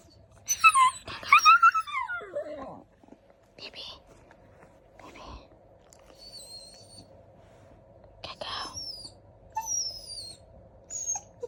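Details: Golden retriever puppy indoors asking to go outside, 'talking' in long high whines that slide downward, then short whimpers and thin high squeaks spaced a few seconds apart, with a person speaking softly and faint background music.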